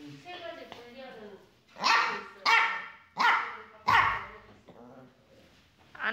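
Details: Small 13-year-old white poodle visiting a workshop, giving four sharp barks in quick succession, with a person's voice talking before and after.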